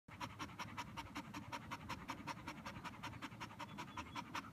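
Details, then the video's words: Border Collie tired after a game of fetch, panting hard: rapid, even breathy pants, about two and a half per second, steady throughout with no other sounds. "Border collie McNab tired after fetch"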